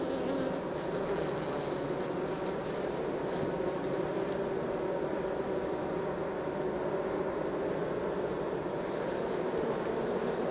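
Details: A mass of honey bees droning steadily while being moved from nuc to hive. The even, unbroken low hum is joined by a few faint higher rustles.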